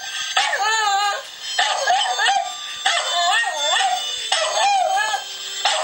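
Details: Domestic dog singing along to a harmonica heard online: long, quavering howls with sliding, warbling pitch, three or four sustained phrases separated by short pauses, with harmonica notes underneath.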